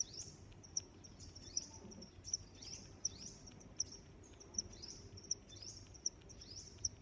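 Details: Cricket chirps, short bright high clicks spaced roughly every 0.75 seconds, interleaved with softer rising, swooping chirps that sound bird-like, all over a low background hiss.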